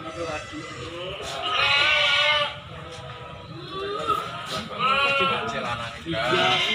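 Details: Goats, breeding does and kids, at the Silir Semanggi animal market in Solo; wavering bleats in two bursts with a shorter cry near the end, over steady human talk and market chatter.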